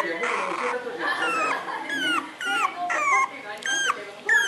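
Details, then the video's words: Chamé, a 61-day-old female puppy, cries to be let out: a run of short, sharply falling squeals about half a second long, repeated several times, over a steady murmur of broadcast talk. "Chamé screaming "Let me out!""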